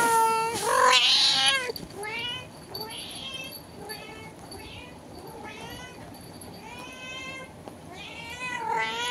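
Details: Domestic cat at a window answering a cat outside with a rapid string of short, wavering meows, a loud strained cry at the start and quicker, fainter calls following, with a human voice briefly in the background.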